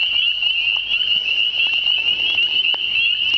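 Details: Unseen spring peepers in spring, calling from more than one direction, their massed high piping peeps merging into one continuous bright trill.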